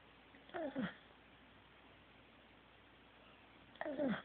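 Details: Asleep, the Corgi Teddy gives two short snores at the start and end, each a brief double rasp carrying a falling whistle, with near silence between.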